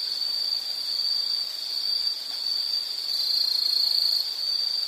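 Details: Steady high, thin insect trill sustained without a break, a shrill even drone that swells slightly in loudness toward the end over a quiet background.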